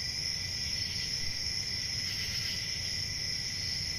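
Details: Country summer night chorus of crickets: continuous high, even trilling with a faint swell midway, and a quiet low rumble beneath.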